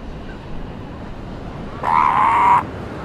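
A seal pup gives a single drawn-out, nasal wail over steady surf noise.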